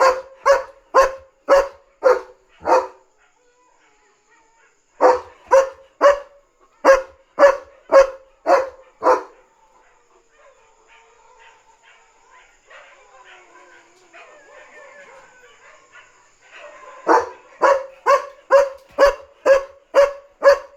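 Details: Night guarding by an excited German Shepherd alerting to a dog outside: quick regular barks in three long bursts, about two per second, separated by a silent gap and a stretch of faint low murmuring.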